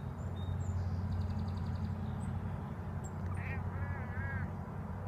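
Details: Excited house cat watching a bird: a faint high trill early on, then a cluster of quick, wavering, quacking chirps near the end, all over a constant low droning hum.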